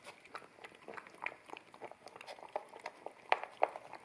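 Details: An American Akita puppy at a bamboo plate of wet kibble indoors, ZS100 camera in stereo: soft rhythmic smacking chews building to two loud crunches near the end.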